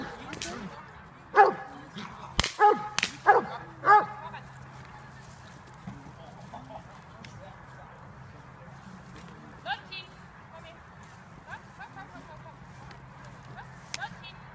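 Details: During bite training in October 2015, JOVANOTTI Unreachables, a Serbian-bred Dobermann nearly five years old, gives a quick burst of five or six sharp barks in the opening seconds. Scattered faint noises and a low hum follow.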